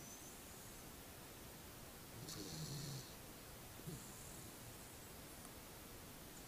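A sleeping Pembroke Welsh Corgi snores softly, a low rumbling breath with a breathy hiss.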